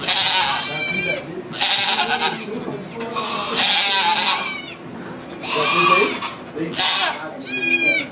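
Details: Bleating during the birth of two baby goats at a Quebec sugar shack near St-Benoît and St-Eustache, captured with an iPod Touch; bright, harmonic bleats recur in bursts about every second or two, with people talking in French underneath.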